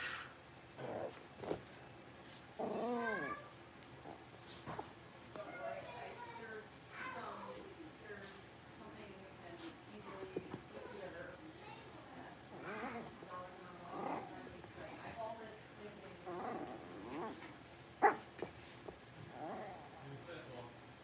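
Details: Six-week-old blenheim Cavalier King Charles Spaniel puppies, a litter of five born on New Year's, in an indoor puppy pen; high whining whimpers and yelps repeat over the clip, mixed with speech and household knocks.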